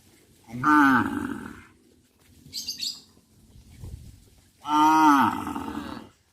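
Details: Cows on a traditional village farm walking along the village road to the livestock pen in the afternoon; two long, loud, harmonic moos, each about a second long, separated by a quiet gap with a brief high rustle.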